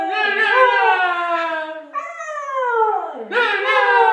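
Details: A male corgi howls in long, wavering, sliding tones that dip and rise again, set off by the word "no" repeated in an odd octave.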